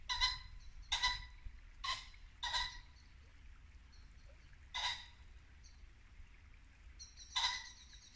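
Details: Repeated rasping barks of a muntjac deer in Norfolk woodland at dusk, late winter, uneven gaps of about a second, over a babbling brook with faint bird notes.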